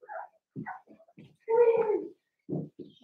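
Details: Cavalier King Charles Spaniel puppies, eight pups from two litters merged together indoors for play, giving short whimpering yelps and one longer tonal whine in the middle, with brief gaps between calls.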